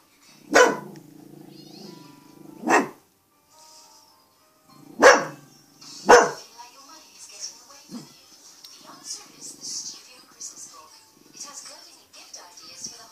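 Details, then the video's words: Macy, a pet dog, gives four sharp, loud barks, spaced roughly two seconds apart, then falls quiet while a person talks and coaxes nearby. "Macy barking"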